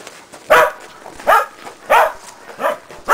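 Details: Shetland Sheepdog Preston at agility practice on a training box with jump grid, giving short sharp barks repeated roughly every two-thirds of a second, five in a row.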